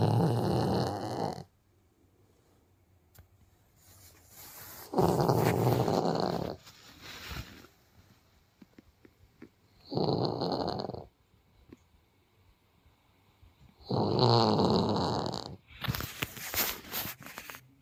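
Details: Sleeping Siberian tiger cub at a zoo snoring: deep rasping breaths in bursts of one to two seconds, roughly every four to five seconds, some with a hissing edge, near-silence between.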